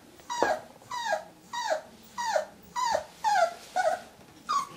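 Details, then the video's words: Whippet facing its reflection in a mirror, voicing repeated high whimpering yelps that drop in pitch, roughly eight evenly spaced cries in five seconds, indoors with little else heard. "Muffin vs. Stranger in the mirror"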